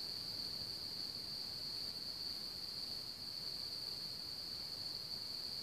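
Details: Chorus of many crickets near Hamr by Chlum u Třeboně, Czech Republic, home to one of Bohemia's largest populations. A steady, unbroken high-pitched trill runs throughout, with soft low background noise beneath.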